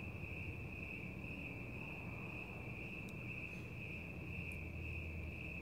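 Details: Crickets chirping outdoors at night, a steady unbroken high-pitched trill holding one pitch throughout, over a low rumbling background, with cats nearby enjoying the fresh air.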